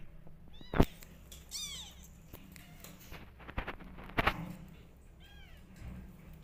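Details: Orphaned rescue kittens, rejected by a mother cat and fed by bottle, crying for milk: several thin, arching, high-pitched mews in quick bursts, mixed with sharp knocks and handling noises in a small room.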